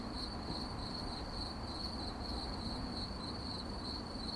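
Crickets chirp steadily at night, a high shrill trill pulsing in a regular rhythm over a low rumble.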